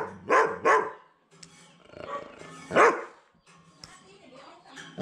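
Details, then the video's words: German Shepherd barking loudly, apparently trying to scare a person across from it; loud harsh barks, a pair near the start then single barks a few seconds apart, with voices talking in between. "German Shepherd Barking loud"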